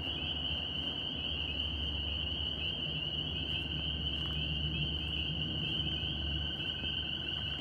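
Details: Northern spring peepers in New York: a dense chorus of high, overlapping peeps that merge into a steady shrill band, with a fainter upper layer, over a continuous low rumble.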